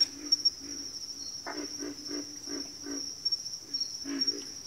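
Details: Frogs calling in a chorus: a run of rough, low croaks, one every half second or so, then a later pair, fainter than the continuous shrill high whine underneath.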